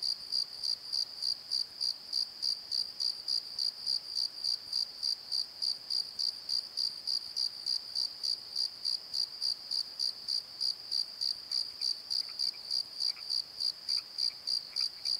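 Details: Night chorus of crickets in a valley bottom at Pozo: an unbroken train of high, evenly spaced chirps about three per second, with faint lower calls from another creature appearing briefly near the end.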